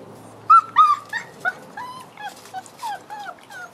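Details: Six-week-old French Bulldog cross wolf pups whimpering and yipping: a run of short, rising-and-falling whiny squeals, several per second, clustered and uneven, with faint voices in the background.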